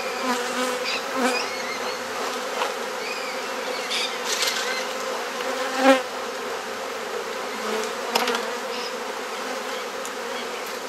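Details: Open hive of honey bees in a Perth, Australia garden in Mosman Park during an inspection and frame swap: a constant buzzing hum with frequent clicks and a louder knock around six seconds.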